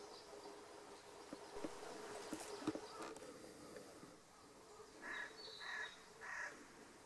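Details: An Ezo squirrel (Sciurus vulgaris orientis), one of a family, gives three harsh, raspy bursts in quick succession as a threat call at an intruder; the filmer first wondered if the growl was a brown bear.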